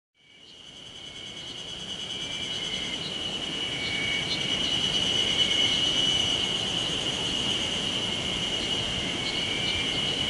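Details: Insects the recordist believes are cicadas, surprisingly already singing on 26 May 2019 in Sawauchi, Nishiwaga, Iwate, Japan, drone steadily in a high, ringing chorus with faint pulsing shimmer over a broad, soft rushing background.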